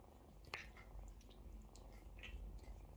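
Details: Mother cat washing her kittens; a low purr drones under sharp licking clicks and a couple of brief soft higher sounds.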